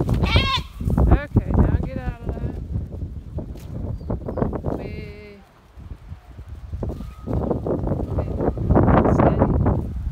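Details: Goats being worked by a six-month-old herding dog give several wavering, harmonic bleats, loud at the start and again midway, over steady low rumbling wind or handling noise and faint voices.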